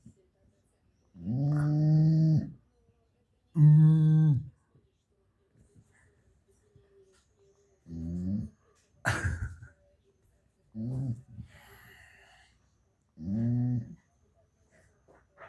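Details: Sleeping badger snoring: low, rasping, harmonic snores lasting about one second each, coming at uneven intervals of two to three seconds, with a sharp click partway through and quiet breathing between.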